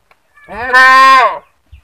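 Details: A goat giving a single loud, harsh scream lasting about a second, strongly harmonic and nasal, rising slightly then holding steady before cutting off.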